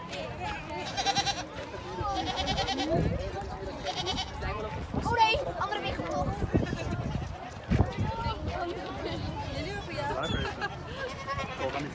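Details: Goat farm in Amsterdam Forest, the Netherlands: three short, quavering bleats spaced over the first four seconds, rising out of steady chatter from a crowd of visitors that continues throughout.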